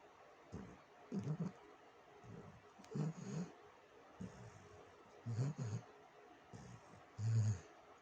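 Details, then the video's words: Pet dog snoring: deep, low rumbling snores in short bursts about every two seconds, each a soft pulsing rasp, separated by near-silent pauses. "my dog snoring"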